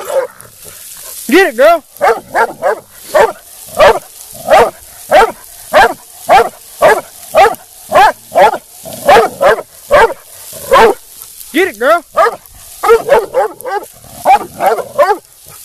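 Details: Nearly two-year-old female black and tan coonhound in UKC show training gives a long run of short, ringing harmonic barks, roughly two per second, some in quick doubled bursts, with brief pauses near the middle.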